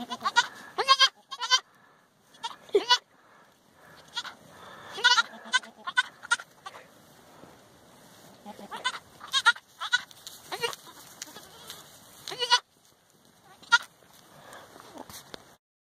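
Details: Young Boer goat kids raised on a family farm, playing and running about; short, wavering, harmonic bleats come in scattered bursts, some overlapping, with quiet gaps between, while a person talks softly to them.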